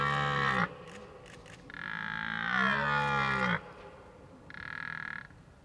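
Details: A red deer stag gives deep, harmonic roars during the rutting season, the middle one long and drawn out.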